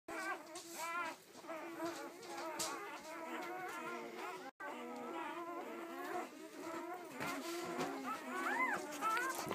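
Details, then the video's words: Nine newborn Weimaraner puppies, a few hours old, born September 24, 2012, squeal and whine almost constantly in overlapping, wavering high-pitched cries. A brief silence falls midway, and a person speaks softly. "Nine Newborn Weimaraner Puppies"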